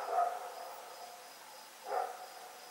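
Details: Dog named Rex barking at night on October 7, 2018, while running around; two short, hoarse barks about two seconds apart, fairly distant, with a faint steady high tone in the background.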